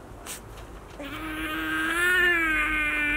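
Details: A baby otter, woken while still sleepy, fusses and then cries angrily before sulking back to bed: a drawn-out, whiny cry holding a steady pitch and swelling slightly in the middle, after faint rustling.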